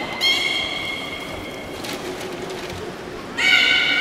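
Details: Beluga in a public training session at Port of Nagoya Public Aquarium, Japan, on 18 July 2016, afternoon show; a steady harmonic whistle fades away, soft hall noise and brief thumps follow, then a second louder whistle starts abruptly.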